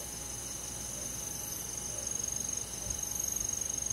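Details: Cricket chirping on a summer night in a forest: a continuous high, thin ringing tone with fast regular pulsing, about four pulses a second, over soft background insect noise.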